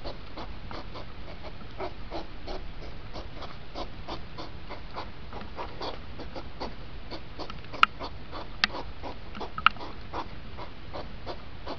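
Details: Hedgehog rut condensed from two hours to five minutes: a long, even train of quick snorting puffs with a few sharp clicks near the end, all over a faint low hum.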